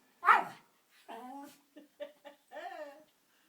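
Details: Jack Russell Terrier indoors in a small room, trying to get a ball out of a fireplace: one sharp bark, then several high, wavering whines and short yelps, each under half a second, in a quiet room.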